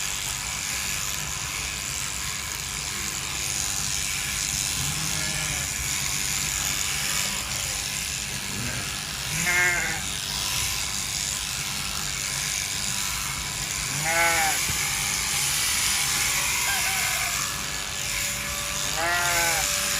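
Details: Sheep being sheared in winter: three wavering, harmonic bleats about five seconds apart, each rising then falling, over a constant loud hiss and whir of large electric shears.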